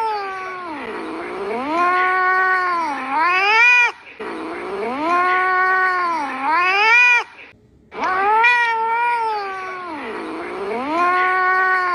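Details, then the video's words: Pet cat giving long, drawn-out, melodic meows in three phrases, each dipping low then sliding upward into a rising wail, with brief silences between. "The sweetest singing cat"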